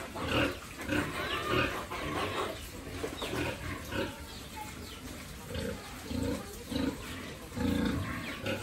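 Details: Pigs raised for sale on a family farm, heard in repeated low grunting bursts and squeals through the clip, amid steady background noise and a brief snatch of speech.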